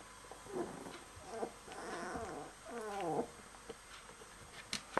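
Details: Puppies of a litter aged 15 to 16 days, offspring of Star and Canuck, give quavering high whimpers and squeals with wavering, bending pitch over about two seconds, then fall quiet amid faint rustling and small clicks.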